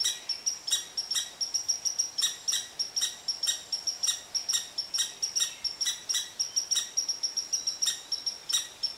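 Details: Irritable red squirrel ranting at a cottontail rabbit below its favorite tree, a long run of high, clipped chips at roughly four per second, nearly unbroken across nine seconds.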